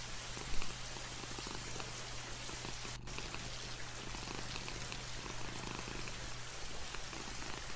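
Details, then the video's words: Domestic cat purring with light rain falling outside a window, a steady low rumbling throb running through the whole stretch beneath constant soft patter of raindrops. "The sound of a cat purring with light rain outside the window."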